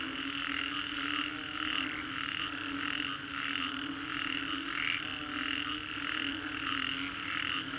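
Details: Singapore's Green Corridor after a storm, frogs croak in a crowded chorus; pulsed calls recur a little faster than once a second, with occasional brief whistled notes above the steady drone.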